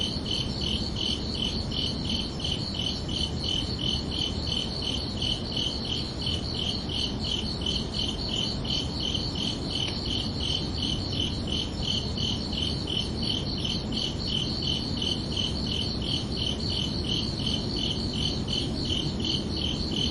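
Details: Night-time cricket chorus of a summer evening: bright, high-pitched chirps pulsing rapidly and continuously, roughly three each second, above a constant low hiss and rumble.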